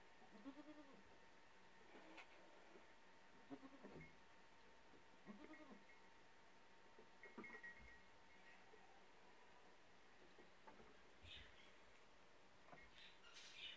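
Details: Doe and buck goats in a mating dance, jumping and springing on their hind legs; soft arched, wavering bleats recur every couple of seconds, with brief higher rustling noises near the end.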